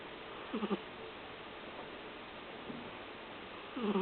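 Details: Sleeping pet dog, stated to snore every time it sleeps: short, nasal, whistle-like snore notes at the start and end of each breath, separated by a quiet, hissing background.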